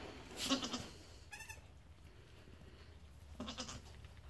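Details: Nigerian Dwarf goat newborns, triplets of two does and a buck born in March 2018; a sharp bleat opens, a brief wavering cry follows, and a final short bleat comes near the end over a low steady hum.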